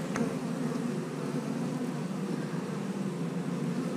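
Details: Honey bees kept in a house, a steady low droning hum from many bees, continuous and even throughout without breaks.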